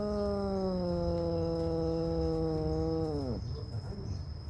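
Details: At home with a devoted mother cat and her newborn kittens, one sustained, even-pitched meow holds for over three seconds before dropping sharply at the end, over a low steady background hum.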